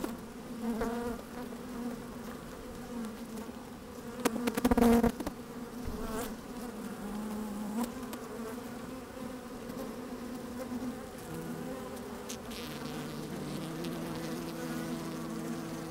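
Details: Honey bees at work in an opened hive on a sunny day, microphone inside the hive: a constant drone broken by loud close buzzing bursts near five seconds, pitch shifting lower toward the end.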